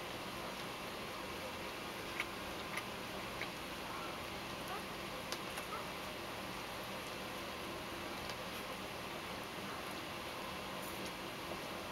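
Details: Steady low hiss of room noise with a few faint ticks and clicks, and no clear animal voice.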